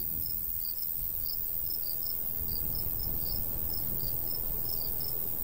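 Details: Crickets in summer countryside by a golden wheat field, chirping in short, high, bright pulses about three or four per second, two rhythms overlapping, over a steady low rumble of light breeze.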